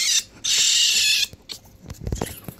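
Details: Hungry baby raccoons, a pair in a wildlife rehabilitator's care, being cleaned before bottle feeding; two high harmonic cries, the second long and steady, followed by low thumps and handling noises.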